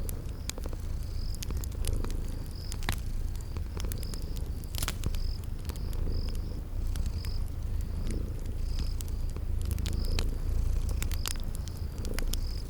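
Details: Cute kitties purring as they sleep by a crackling fire: an even low purr, scattered loud fire snaps and pops, and a regular series of brief high-pitched cricket chirps in spring garden ambience.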